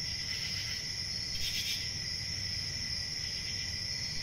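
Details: Short stretch of constant high-pitched cricket chirping, a single louder burst standing out near the middle, over a soft low background rumble.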